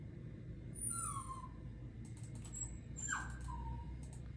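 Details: Papillon dog giving high whimpers: a drawn-out whine falling slightly, then a sharp drop into a second, shorter steady whine, over a low constant hum.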